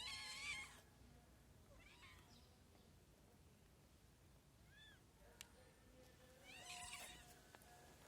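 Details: Hungry street cats in a group meowing: a loud harmonic meow at the start and a second meow near the end, with faint scattered cries between over a quiet low background hum.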